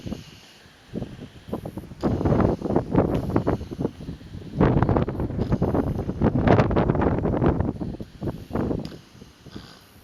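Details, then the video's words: Northern elephant seal pups sunbathing at San Benito Island, snoring in long rough bursts of low, broadband rasping pulses, rapid and irregular, with brief quieter gaps between bouts and some wind noise. "Snoring Northern elephant seals"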